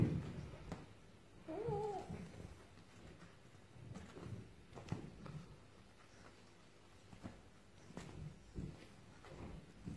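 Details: Russian Blue cat giving one short, wavering meow that rises then falls just before the two-second mark, followed by quiet background with soft rustles, taps and faint clicks.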